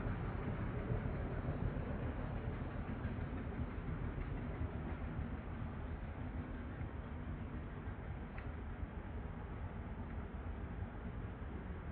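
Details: A steady broadband rumble, like a train or vehicle moving, fills the whole stretch with no animal voice.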